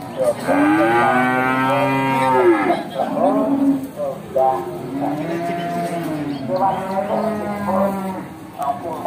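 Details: Several Simmental and crossbred cattle at a market in Bekonang, Sukoharjo, Central Java, moo one after another: a long sustained bellow first, then shorter wavering lowing calls overlapping, with background music faintly underneath.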